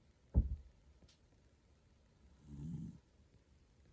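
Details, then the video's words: Toy Poodle Pusuke deeply asleep: a sharp click early on, then a single soft, low, rattling snore swelling and dying away in a quiet room. "トイプードルの可愛いいびき～Dog snoring～"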